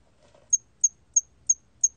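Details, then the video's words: Hairy cricket chirping in a 2020 collection: a faint low flutter, then five loud, short, piercing high chirps evenly spaced about a third of a second apart. "털귀뚜라미, 여러번 듣기, 곤충소리"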